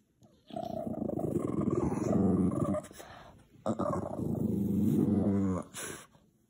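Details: Tired, angry Boston Terrier growling indoors, mad at neighbours making noise; two long low rumbling growls, each about two and a half seconds, separated by a brief pause.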